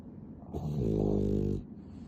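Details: Pet dog Nana, described as a cuddly, clingy dog, gives a single rasping snore at ten times normal speed, a rich buzzing tone swelling and fading over about one second indoors.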